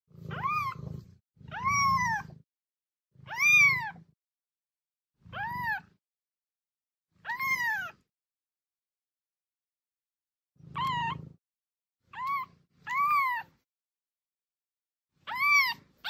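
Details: Kitten meows meant to attract an adult cat: about ten bright, arched cries, each rising then dropping, in short bursts with a soft low rumble under each, and a longer pause midway.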